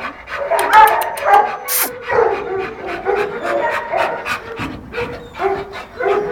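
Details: Female American Staffordshire Terrier in heat, giving high, quavering whimpers and whines in short bursts, some rising and falling, with brief yelps between them and a human voice faintly mixed in.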